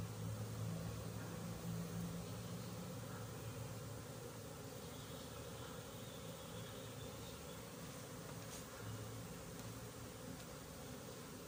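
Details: Honey bees at a bee farm, recorded 20 January 2021: a dense, steady low hum with layered droning tones, unbroken through the whole stretch, with a faint thin whine drifting in midway.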